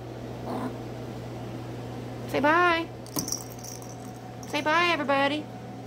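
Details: Miniature Schnauzer puppies indoors give two short, wavering whines, each rising then falling in pitch and lasting about half a second, roughly two seconds apart, over a steady low hum with a soft click between them.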